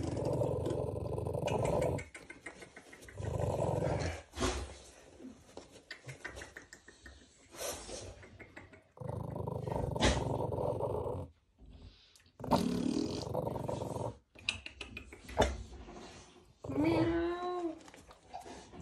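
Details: Two-month-old American Bully puppies in Romania growling in long rough bursts separated by brief pauses, one rising whiny yelp near the end.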